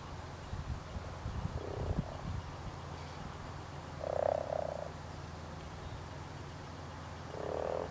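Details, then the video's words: Spring spawning European common frog: a short grating, purring croak near the middle and another rising at the end, against a low constant rumble with a few faint knocks. "Springtime Frogs & Spawn - European Common Frog - Rana temporaria"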